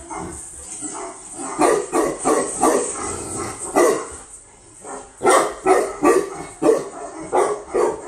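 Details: Female Tibetan Mastiff imported from Russia barking in two clusters, the second a fast run of loud barks about every half second, a person saying "it's okay" to calm the dog.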